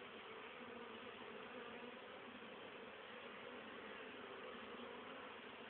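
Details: Busy honey bees on 10 October 2010, carrying pollen and nectar home for their winter stores; a dense, even hum with a clear low tone that holds without pause for the whole stretch.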